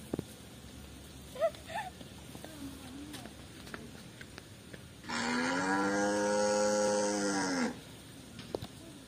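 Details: Free-roaming white cattle in a garden, tame village livestock loosed on farmland: after a few seconds of quiet rustling and faint knocks, a single sustained low moo of about two and a half seconds sounds out.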